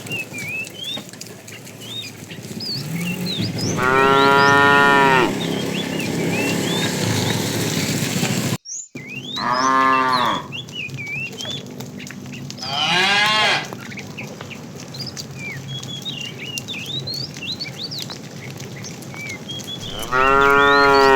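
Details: Herded tame cows in the afternoon, a fat cow calling the female: four loud, harmonic moos of one to two seconds each, some with a rising then falling tone, between chirping birds in the background.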